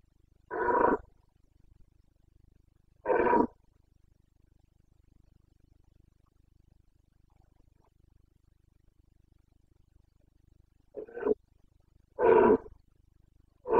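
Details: Red deer stag of the Carpathians, Bucovina, in the September 2022 rut: short, hoarse, guttural roars spaced irregularly, two early and three close together near the end, each about half a second, with quiet gaps between.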